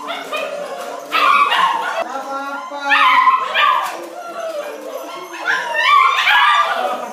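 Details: A litter of nine Bernese Mountain Dog puppies going crazy for food: a constant jumble of shrill whimpers and yelping squeals, rising in three louder surges, the calls overlapping with no pause between them.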